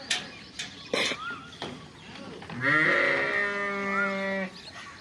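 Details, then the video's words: Fall lambs and sheep on a farm, a long steady wavering bleat lasting about two seconds after a few short knocks and faint background calls. "sheep farming/lamb sounds/ the fall lambs/بھیڑ کی اواز"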